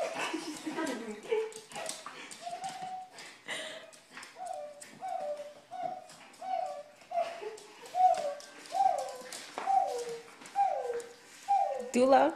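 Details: Dog, a puppy, cheering up a crying girl indoors: a run of short whining cries, each sliding down in pitch, repeated about once a second and growing louder, with a child's voice and adult speech around it.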